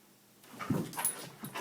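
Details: Sadie, a Goldendoodle indoors missing her owner's two sons, gone two weeks, reacts as their names are spoken: a short, low whimpering yelp with a soft follow-up, amid a woman's voice.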